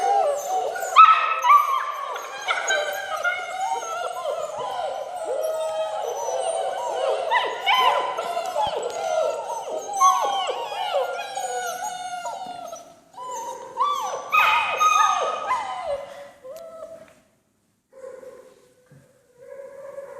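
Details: Six-week-old German Shepherd puppies of the Von Forell line, line bred on Grim, on a slippery floor for the first time, giving many overlapping high whimpers and yips that fade out near the end with a few short whines.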